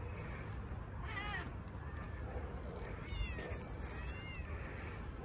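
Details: Little black stray cat fed by a volunteer, jumping onto a hand to be petted, gives two short upward-curving meows over a steady low rumbling background.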